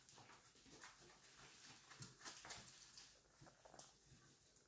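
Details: Basenji puppies of litter "O" indoors in the morning on 24 January 2023, giving soft, quick overlapping whimpers and squeaks amid rustling and shuffling, all fairly quiet.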